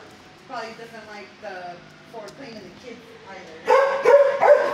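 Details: At kennel 19 of the HSSAZ shelter, six-year-old dog Fozzie Bear barks at first. Soft, falling whine-like yelps open the recording, then three loud, ringing barks follow close together near the end.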